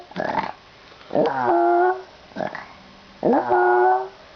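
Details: Pet dog vocalizing strangely as its owner gets ready to leave for school; short breathy huffs alternate with drawn-out, slightly falling tonal whines lasting about half a second.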